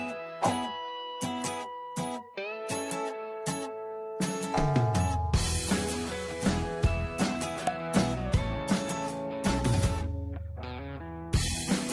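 Strummed guitar music with a steady beat plays throughout, with no animal sounds.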